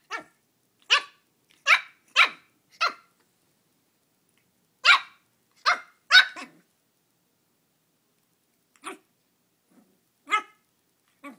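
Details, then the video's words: Belle, a new Shih Tzu puppy, barking at her small Halloween pumpkin: a quick run of four shrill yaps, a pause, then three more close together, followed by fainter scattered yips toward the end. "Puppy battles mini pumpkin on Halloween!"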